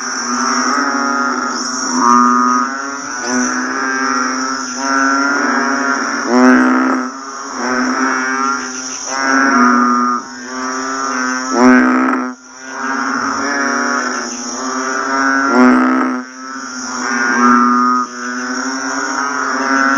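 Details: Banded bullfrogs call just after rain in a dense chorus of deep, mooing, nasal notes, with a steady insect whine overhead.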